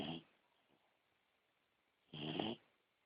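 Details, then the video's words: Beagle puppy asleep indoors, snoring: two breathy snorts, one right at the start and a longer one near the end, with quiet breathing in between. "beagle puppy ziggy snoring"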